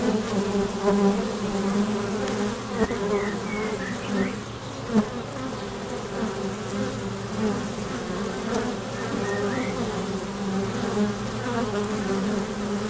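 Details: Honey bees buzzing at a hive entrance as they fly in and out, a steady droning hum with layered wingbeat tones, rising and falling as individual bees pass close by.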